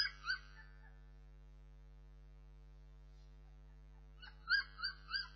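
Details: Bernese Mountain Dog puppies whimpering briefly at the start, then a long quiet stretch, followed by a renewed series of three high, tonal, wavering whines near the end over a steady low hum.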